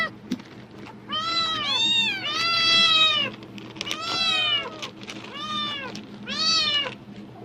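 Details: A pet cat reacting strongly to rustling plastic bags as if food is coming, giving four long, drawn-out harmonic meows that arch up and down, the second one stretched and wavering, over a faint low hum.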